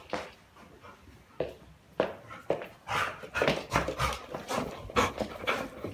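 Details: Labrador Retriever indoors in a house, breathing in loud, breathy panting bursts about twice per second, growing stronger halfway through, with faint thin whine tones mixed into some breaths.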